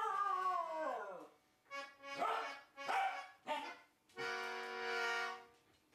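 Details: A wire fox terrier and a toy poodle sing along to music, giving long wavering howls that slide downward over reedy instrument tones.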